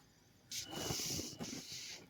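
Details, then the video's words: A cat fighting at night, caught mid-wrestle after the noise woke the household; a loud, breathy hiss bursts in after half a second, breaks off briefly, then resumes and fades against quiet room noise. "रात्री आवाज आला म्हणून उठून पाहिलं तर कुस्ती चालू!"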